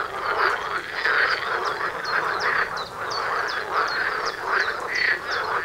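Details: Frogs calling together near a front door outdoors, a steady thick chorus of rattling croaks with sharp upward-flicking chirps repeating roughly every half second over the constant din.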